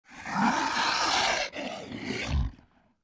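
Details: Komodo dragon hissing: a long breathy, rushing exhalation of about one and a half seconds, a brief break, then a second shorter hiss that swells and fades, with no other sounds.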